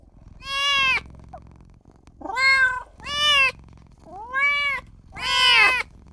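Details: Newborn kitten crying for its mother and its owner: five loud, high, harmonic-rich meows, each rising then falling, spaced about a second apart, with a faint short squeak between the first two.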